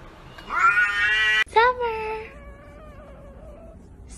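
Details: Domestic cat "talking" while held by a person who scolds it, giving one loud drawn-out meow and then a short bent cry that fades, with the owner's voice nearby.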